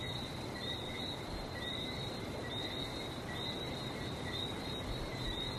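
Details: Frogs calling in Barbados: a dense, steady chorus of short high whistled notes, layered in two bright bands and repeating without pause, over a soft low rumble.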